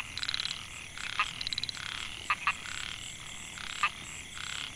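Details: Narrow-mouthed frog chorus, Microhyla pulchra, rice field in Mae Hia, Chiang Mai, Thailand, 2014, males calling for mates. Brief raspy pulse trains alternate with loud paired clicks, several callers answering one another over a high steady hiss.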